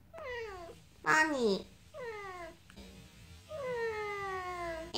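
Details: Talkative female house cat replying to its owner's question about being hungry, giving four falling, nasal meows in quick succession, the last one long and sustained, with a short louder vocal burst in between and a quiet indoor background.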